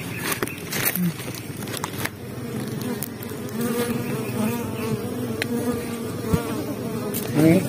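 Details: Honey bees buzzing while an underground nest is harvested on Biliran Island; a steady low droning hum throughout, with clicks, knocks and scraping of the harvest work and faint speech.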